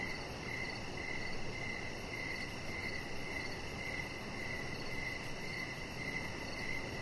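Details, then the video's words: Crickets chirping outdoors in the evening beside a deck where a pet chihuahua lies under decoration lights; a steady run of short, bright, evenly repeated chirps with fainter, higher pulsing above, over a constant low broadband hiss. "Chihuahua Puppy Laying On Deck with Cricket Sounds"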